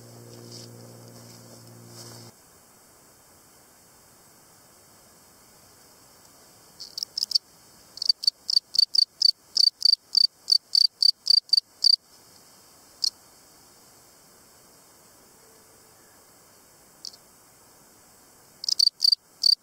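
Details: A field cricket (Gryllus campestris) sings in bright, pure chirps, each a quick trill of pulses repeated several times a second.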